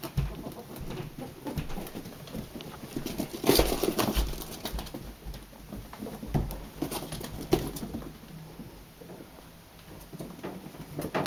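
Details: Two pet ferrets at play give soft clucking chuckles and brief squeaks amid scuffling and thumps.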